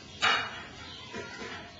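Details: Two-month-old Poodle puppy giving one sharp, high yip right at the start, followed by a couple of faint, softer sounds against a quiet indoor background.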